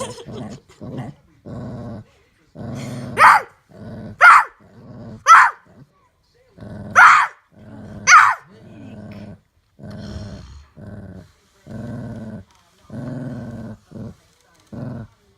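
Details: Pet dog guarding its bone from a child, growling in short low rumbles about once a second, interrupted by five loud harsh snarls or barks in the middle; faint child's voice present.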